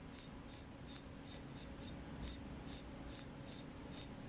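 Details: Night cricket chirping: sharp, bright pulses repeated roughly every third of a second, slightly uneven in spacing, with a soft low rumble underneath.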